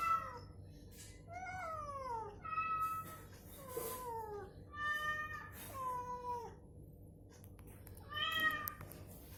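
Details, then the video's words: Cats answering each other, one recovering from illness and deliberately provoked with the same meow played back so it moves and calls; about eight drawn-out meows falling in pitch, spaced every second or so over a faint steady hum. "SUARA KUCING saling sahutan"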